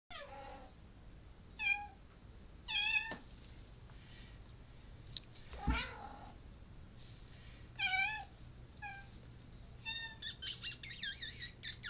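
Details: Japanese Bobtail mother cat with her silver tabby and white kitten, born 7/4/13, indoors; short, high, bending meows in scattered bursts, some rising then falling, with a brief thump and a woman's voice nearby.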